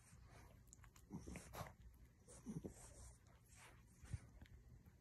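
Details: French bulldog puppy making soft, low snorting grunts, a few short ones spaced about a second apart, against a quiet background hiss.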